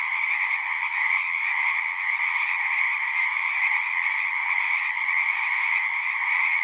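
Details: A dense chorus of many frogs, a steady unbroken trilling wall of sound with two bright bands, one high and one lower, holding even and loud throughout, with no other sounds.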